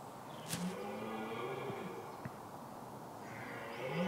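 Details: A lone red deer stag in woods beside a heath during the rut, following about ten hinds and trailed by two or three rival stags, gives a deep, drawn-out roar to intimidate his rivals.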